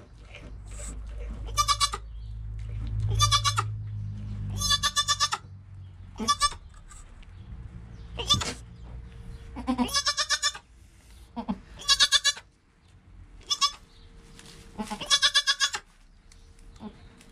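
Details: Newborn goat kid Joel, within an hour of his birth, calm mother Penny beside him, recorded on a GoPro: a run of high, quavering bleats, each short and harmonic-rich, repeated roughly every one to two seconds, with low rumbles of movement between.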